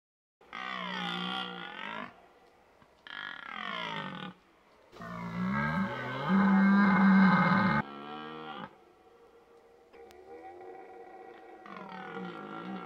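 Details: A red deer stag in the rut, the mating season, gives deep, throaty roars in repeated bouts.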